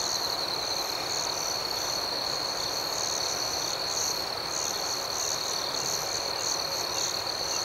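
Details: Crickets at night in a calm outdoor setting: a steady, high, ringing trill runs without pause, with fainter pulsed chirps shimmering above it and soft, even hiss underneath throughout.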